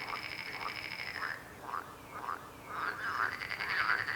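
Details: Croaking frogs heard close together, a long buzzy pulsed note fading into a run of short arched croaks, then a louder overlapping burst of rasping calls at the end.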